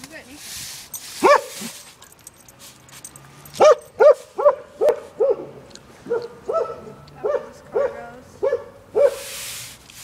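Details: Neko, a Norwegian Elkhound, irritated by a broom and attacking it; short, high, harmonic barks or yelps come in irregular bursts, about a dozen in ten seconds, over scratchy sweeping noise and brief human voice.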